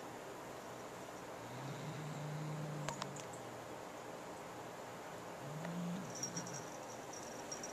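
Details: Pet cat guarding a new feather toy from its little sister, growling at her and its owner; two low, sustained growls separated by a quiet gap, with a few faint clicks and steady background hum.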